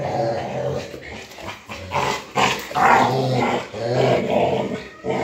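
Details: Rottweilers fighting over a motorcycle tire; low rumbling growls rise and fall in uneven pulses, with a few higher whimpering notes and scuffling.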